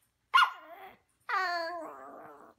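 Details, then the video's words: Chatty Maltese puppy that likes to talk, indoors: a sharp yelp-like onset sliding down, a pause, then a longer harmonic whine-howl that drops in pitch and wavers before trailing off. "Cute Maltese Puppy Likes to Talk"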